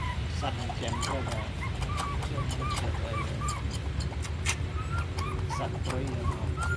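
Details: A puppy being raised on milk powder and growing slowly gives short, high, squeaky whines, each a brief rising-then-falling squeal, scattered irregularly over a steady low rumble with handling clicks and faint voices.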